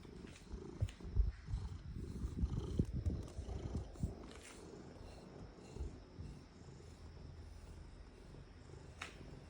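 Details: Domestic cat purring contentedly while enjoying a back scratcher: a continuous low, rumbling purr with uneven pulses, swelling and fading in loudness, plus faint soft rustling.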